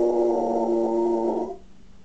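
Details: Male pet dog trying to howl, said to sound more like a pig: one steady, nasal, strongly harmonic moan held for about one and a half seconds before cutting off abruptly into low background hum.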